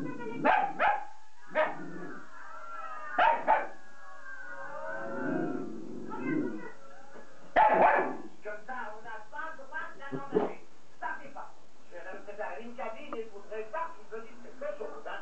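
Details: Jack Russell Terrier giving sharp, loud bark bursts spaced a few seconds apart, with wavering, whining harmonic tones between them and a long run of quicker, choppy yelps toward the end; a steady background hum runs throughout.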